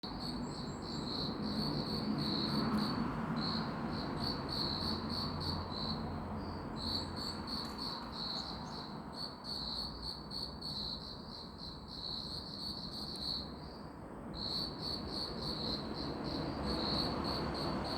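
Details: Insects chirping, a cricket-like trilling in rapid pulsed bursts, about 200 per minute, with a brief lull near fourteen seconds, over a steady low background hum.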